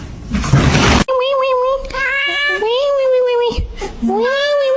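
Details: Kitten crying with a run of drawn-out, tonal meows, several sliding upward at the start and holding steady, separated by brief pauses, after a short burst of harsh rustling noise.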